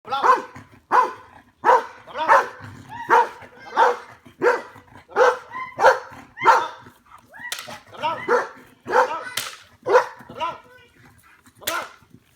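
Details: Belgian Malinois doing bite work in a back yard barks steadily, one loud bark about every two-thirds of a second for twelve seconds, a slight pause midway and a few sharper barks near the end.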